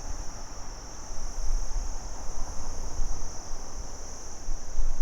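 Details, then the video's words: Insistent high, level cricket trilling fills the background without pause during the day, mixed with a broad hiss and low, wind-like rumble. "Cricket insects Day01 - Sound Effect HD"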